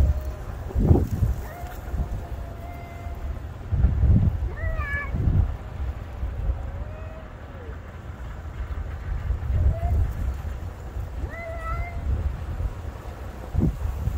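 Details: A black cat and a white cat trading calls in December 2022, the black one loud and intense: long flat meows, a short rising-falling cry, a low drawn moan and further meows, with thumping knocks and low rumble.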